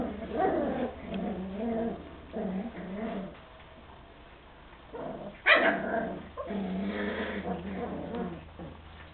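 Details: Border Terrier puppies at play: bursts of low, harmonic growling and whiny yips in short runs, separated by pauses, with one sharp, higher yelp near the middle before the growling resumes.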